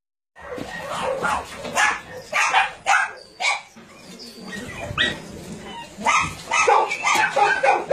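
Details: Dogs at a combined meat farm and puppy mill in Nonsan, South Korea, January 2017, among some 150 dogs including Dobermans, Shar-Peis, Chow Chows and Golden Retrievers; a noisy burst of overlapping barks, uneven and rapid, with brief pauses between volleys.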